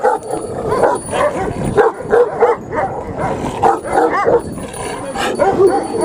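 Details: Big Pakistani Bully Kutta dog giving short, rough barks and yelps in uneven bursts, with human voices talking in the background.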